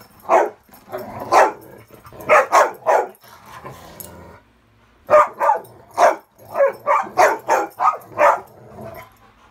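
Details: Indoors on a bed, Ravyn, guarding her spot against Kyla and Knight in a friendly game, gives her rarely heard high-toned playing bark; sharp barks come in clustered runs with a short quiet gap midway, plus faint growly undertones.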